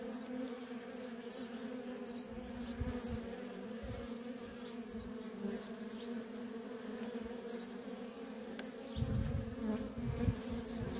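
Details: Worker honey bees in nonstop traffic at a feral colony: a steady, dense, low droning hum with a strong overtone, faint high chirps repeating in the background, and a deeper rumble swelling near the end.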